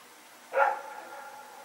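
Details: A single loud bark from Rex or his companion dog during a night run, September 21, 2018, trailing off into a faint lingering tone in the quiet.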